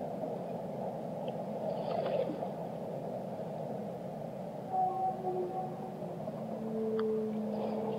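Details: Drawn-out whale tones sound through steady ocean hiss: a brief high whistle, then a slightly lower held note, then a long low moan near the end, with scattered faint clicks.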